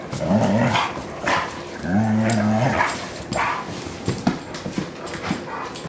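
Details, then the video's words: Wilma the Bloodhound and rescue German Shorthaired Pointer Kingsley wrestling on a couch; two clear, drawn-out rumbling growls, the second lasting almost a second, followed by scuffles and brief yips. "Kingsley & Wilma Couch Wrestle"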